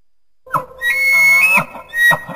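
An elk gives a high, sustained whistled tone framed by rough, grunting bursts.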